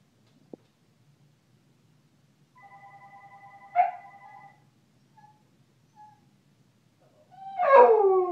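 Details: A Chow Chow dog indoors reacting to a ringing phone and answering machine: electronic ringing tones, then after a pause a rising, wavering howl-whine from the dog at the end.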